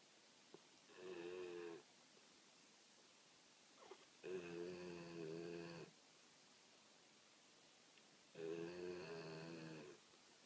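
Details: A sleeping female American Pit Bull Terrier snores in long, rumbling, nasal breaths about every four seconds.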